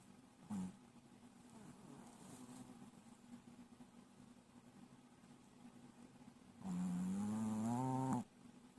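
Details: A sleeping Shih Tzu snoring loudly: a long, steady low droning tone runs through the clip, with a brief snort near the start and a louder, rising, harmonic-rich snore swelling near the end.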